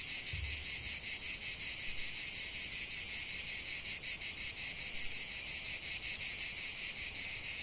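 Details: Cicadas singing in a lavender field: a dense, continuous high buzzing chorus with a steady rapid pulsing, about three pulses per second, filling the whole clip; a brief low thump near the start.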